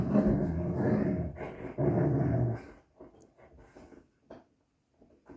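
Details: Playing Xoloitzcuintli (Mexican Hairless dog) giving a deep, continuous growl for about three seconds. It fades into scattered soft grunts and snuffles.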